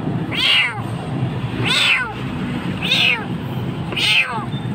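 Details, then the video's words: A kitten in Jakarta, Indonesia, crying and frightened in a dark place, gives four high, loud meows about every 1.2 seconds, each rising then falling with rich overtones, over low background rumble. "Anak kucing hampir mati ditempat gelap"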